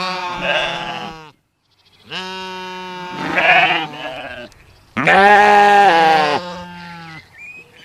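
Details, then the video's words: Sheep bleating, baaing and screaming: a string of long, loud, quavering bleats, some overlapping, with short pauses between them and the loudest call near the middle. "SHEEP SOUNDS FOR KIDS EDUCATION - Baaing, Bleating, Yelling & Screaming HD Sounds"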